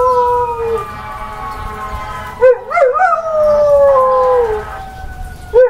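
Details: Female pet dog howling along with fire truck sirens: drawn-out falling wails broken by wavering, warbling upward bends near the middle, ending with a fresh rising yelp; a distant siren hums in the background.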